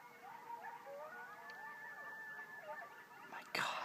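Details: Several coyotes yelping and howling on 17 October 2012, a group chorus of overlapping wavering howls and quick yips that slide up and down, ending in a sudden loud noise burst.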